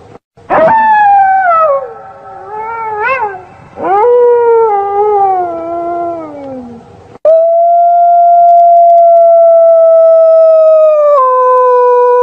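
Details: Night-time wolf howls: falling, wavering howls in the first half, then a long, steady, level howl held for about five seconds that drops slightly in pitch near the end.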